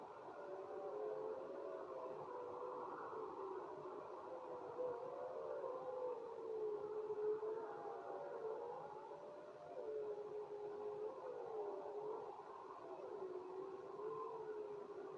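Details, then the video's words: Several wolves howl together in a chorus of long, wavering tones that slide up and down at a low-middle pitch and overlap steadily for fifteen seconds over a soft background hiss. "HOWLING WOLVES"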